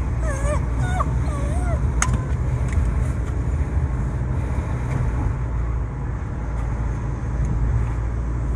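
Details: Shiba Inu Baku, lovesick and crying out for a female, gives a few quick wavering whimpers at the start, then falls quiet while a constant low mechanical rumble fills the rest.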